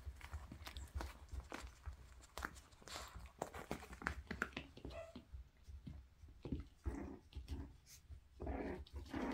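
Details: Toy Poodle pups playing indoors with a balance board and other enrichment items: short whines and soft grumbling whimpers break through steady scuffling, tapping paws and knocks on the floor in a small room.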